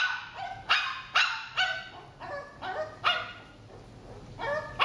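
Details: J the Shih Tzu barking in eye contact training, six sharp high yapping barks spaced about half a second apart, with a pause before the last one.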